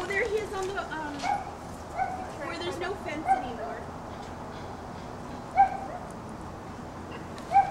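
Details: Border Collie named Jackson chasing an iguana off a dock in Islamorada, Florida; short, sharp yelping barks burst out near three, five and a half and seven and a half seconds above steady human talk and background noise.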